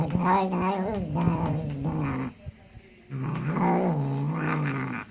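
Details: Cat making low, throaty warbling growl-like moans while eating, two rumbling mumbled phrases split by a short quiet gap.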